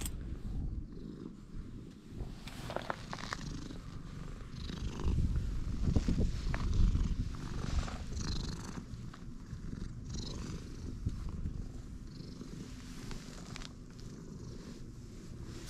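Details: Purring stray cat, rumbling from the moment of meeting: steady low throbbing purr running throughout, with intermittent rustling, brushing and light handling sounds on top.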